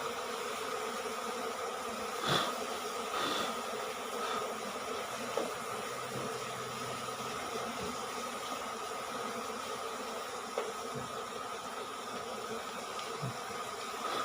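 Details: Asian honey bees from a cavity-nesting colony under the roof of a small rice-field hut, being harvested from their nest of five combs; a steady, dense buzzing hum fills the whole stretch, with a few faint knocks.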